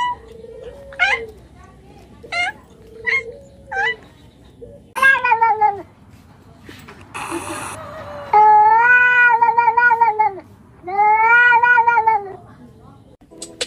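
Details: Pet cat giving a string of short meows, then two long, drawn-out wailing meows lasting over a second each, loud and strongly tonal; a short hiss-like noise burst between the calls.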